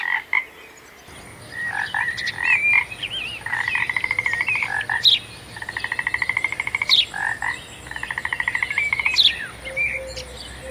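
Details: Frog producing rapid pulsed rattling trills, each lasting about a second, interspersed with sharp clicks, while a thin steady high whine runs continuously underneath.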